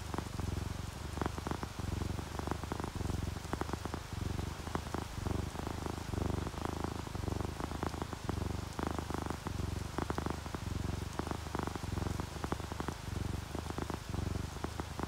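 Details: Low, continuous purring from relaxed sleeping house cats, an orange tabby and a calico, throbbing in regular inhale-exhale cycles over a constant wash of rain on a surface.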